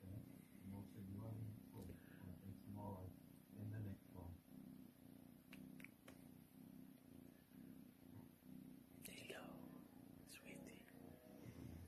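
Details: Purring house cat during a cuddle: low, unbroken rumble with gentle rhythmic pulsing, mixed with quiet murmured speech and a few faint clicks and rustles.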